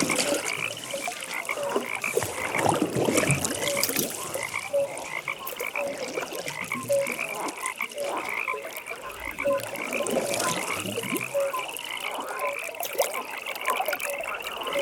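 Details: Pond frogs at night in full chorus, with continuous pulsed trills and repeated short croaks layered over one another and a louder burst of calling near the start.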